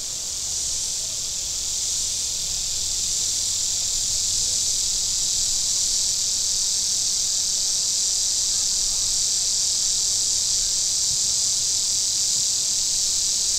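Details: Cicadas along the shore of Table Rock Lake, southern Missouri, in very warm weather, holding a steady, unbroken high electric buzz with hardly any swelling, and a faint low drone of boats underneath.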